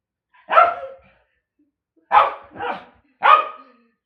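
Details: Pet dog Bozo, cast as the enemy of a fly, barks in short harsh bursts: one bark, a long silence, then a quick double bark and a single final bark. Nothing else is heard.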